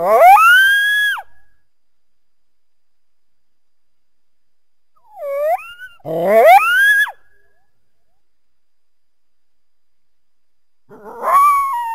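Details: Coyote calling in three separate bursts: a rising, wavering howl, a short upward yip, then a quick run of rising yelps and a final short call, with silence between bursts.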